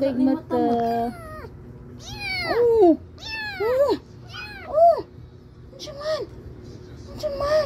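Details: Three little kittens mewing indoors; loud, high, arching meows in quick succession, several overlapping, with a person's voice talking over them.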